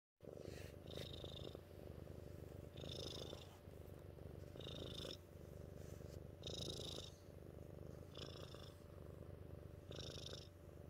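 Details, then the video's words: Mittens, a pet cat, purring steadily: a continuous low rumbling drone with rhythmic swells roughly every one to two seconds, each pulse carrying a brief higher hiss. "Mittens our cat Purr-fect"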